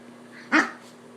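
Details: Pet puppy indoors during rough play with its owner, a short sharp single bark or yip following moments of growling, set against a steady low room hum.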